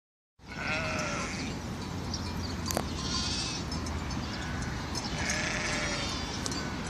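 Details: Sheep on Mallorca, recorded 24 April 2018, give high, wavering bleats over steady low wind rumble; two drawn-out calls about four seconds apart.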